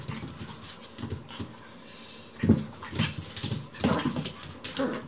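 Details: A tiny smooth Chihuahua gives short, gruff growls and snorts in bursts while play-fighting indoors with a Maltese.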